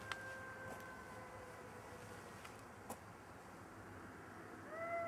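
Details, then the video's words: A golden jackal runs around its partner, killed on a road, giving a long, drawn-out, wavering howl, then starts a fresh rising wail, apparently calling to it. "Шакалья верность."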